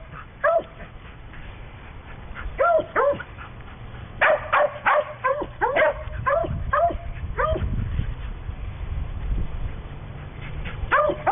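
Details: Little female chow-sheltie type mix dog, playful shelter adoptee, barking in short sharp high yips, scattered singly and in quick runs of several, with a steady low rumble of background noise underneath.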